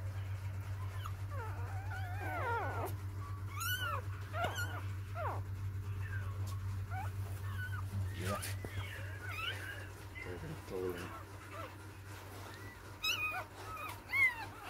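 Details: Newborn puppies from a litter of six, four days old, squealing in short high whines that rise and fall, several overlapping in bursts, over a steady low electrical hum.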